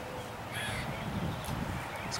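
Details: A squirrel in Seville Square park, downtown Pensacola, Florida, gives harsh, raspy, caw-like scolding calls in short bursts, glaring down at a Khaki Campbell duck digging for acorns near it; low rumble and faint human voices behind.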